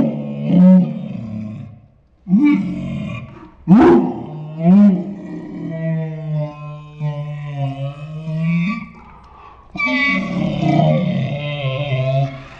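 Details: Saint Bernard Ours making dinosaur-like talking sounds: short grunting bursts, then a sustained moan that slowly falls, and a final rough, wavering groan; several varied low vocal phrases in sequence.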